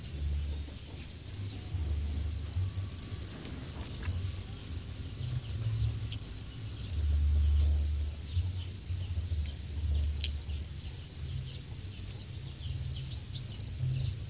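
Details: Crickets raised on a farm in Khon Kaen, Thailand, near harvest age, keep up a continuous shrill trill with a faint pulse, over a persistent low droning hum.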